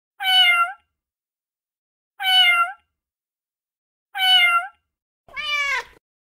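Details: Cat sounds presented as a way to scare mice and rats: three short, identical bright meows every two seconds, then a fourth, lower and rougher wavering meow. No other sounds.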